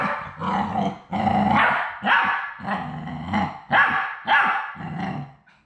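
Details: Labrador Retriever puppies, the final three of a litter at High Desert Labradors on their last day before going to new homes, giving loud, rough, harmonic barks and growling bursts roughly every second, mixed and overlapping, indoors.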